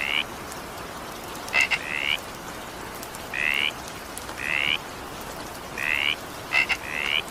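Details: During evening rain a frog gives short rising croaks, occasionally two in quick succession after a sharp tick, at irregular one-to-two-second gaps over steady rain noise.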